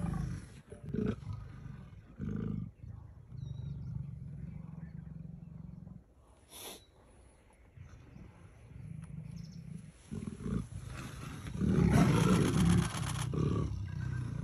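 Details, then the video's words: Playful leopards at Kanha National Park trade deep, pulsing growls in bursts of a few seconds, with a quieter lull midway and a louder, throatier stretch near the close, over faint outdoor background. "Leopards Playing"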